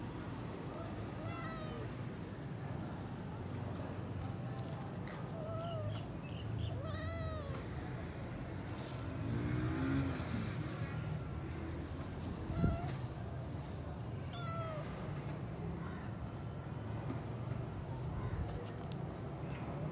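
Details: Thirsty house cat seeking water and looking frustrated, meowing repeatedly at intervals of a few seconds, with clear harmonic cries over a constant low hum and a single knock midway.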